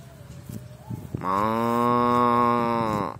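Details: Cow eating grass gives one long, loud moo of nearly two seconds, steady and resonant, dipping slightly in pitch at the end, after a few soft low sounds.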